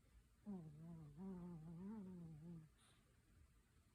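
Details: Ichi, a 14-year-old Pomeranian, asleep indoors and tired. One drawn-out nasal snore lasts about two seconds: a low, wavering, humming tone with a slight rise and fall, then quiet room hiss.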